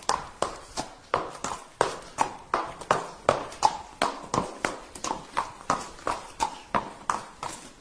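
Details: Horse galloping, each hoof strike a sharp, hollow thud in a regular rolling rhythm of about two to three beats per second.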